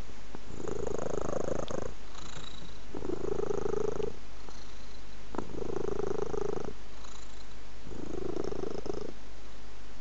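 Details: Cat purring in a quiet room, the low rumble swelling in four regular bursts roughly every two and a half seconds, each inhale and exhale phase clearly marked, with faint soft clicks between.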